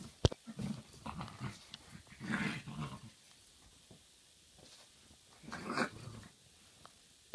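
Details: Two dogs, a 3-month-old maltipoo puppy and a 5-year-old Maltese and Miniature Pinscher mix, heard indoors: short bursts of low, rough growling, three main bouts across seven seconds, with scattered clicks and thumps between them.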